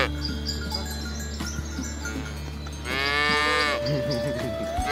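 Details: Cattle in a village herd being driven toward their pen through a rice field ditch; a single rising-then-falling moo near the end, after quieter stretches, over steady humming background tones.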